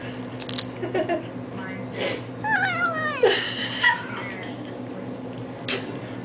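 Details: An 8-week-old kitten squeals while eating treats, giving a few wavering, rising and falling cries in the middle of the stretch, with a woman talking softly to it before and after.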